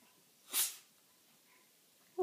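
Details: A pet cat sneezing once: a short, breathy, hissing burst, followed by quiet room tone and a brief faint sound at the end.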